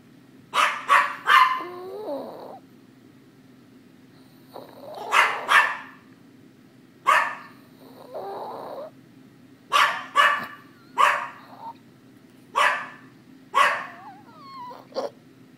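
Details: Dog named Liz barking indoors, sharp repeated barks in clusters of two or three, some trailing into short whines and growly tails, with quiet pauses between bursts; no other sounds.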